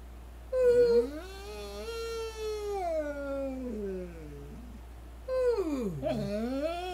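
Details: Jake, a purple-eared standard poodle service dog, singing to greet the day indoors: a long tonal howl sliding down from mid pitch to a low moan, then a second rising-and-falling wail begins near the end.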